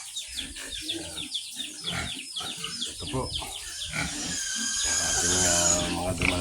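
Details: Young female pigs in their pen on a Philippine farm: quick rhythmic grunts mixed with a man talking and laughing, ending in a long loud squeal.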